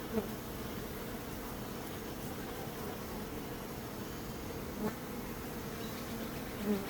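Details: Steady droning hum of many bees, low and even throughout. Three short, louder swells near the start, middle and end suggest individual bees flying close past.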